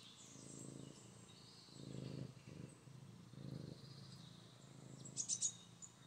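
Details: Maine Coon cat, cuddly after a bath, purring in low rhythmic pulsing bursts, several swells of a few seconds each, with faint high chirps near the end.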